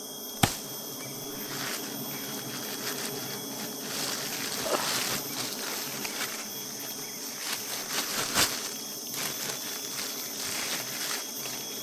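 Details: Honey bees around a hive during honey collection, a thick continuous buzzing swarm hum with bright high overtones, punctuated by two sharp knocks and scattered tapping sounds.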